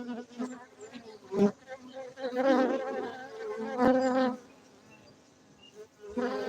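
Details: Buzzing of honey bees kept for honey at a Gayo apiary, Bener Meriah, Aceh, Indonesia; an uneven humming drone marked by loud close fly-bys around seconds one and four, then a quieter stretch before the buzz returns.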